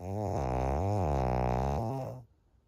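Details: Maria, a thirteen-year-old senior female fawn pug in Japan, recorded in June 2023: one long, loud, droning snore lasting about two seconds, deep and richly buzzing with a wavering pitch, ending abruptly into quiet.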